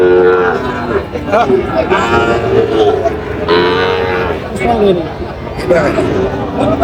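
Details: Sahiwal bull calves at a cattle market in Chandpur, Bangladesh, on 23 July, lowing with drawn-out harmonic moos amid constant bargaining voices and crowd chatter.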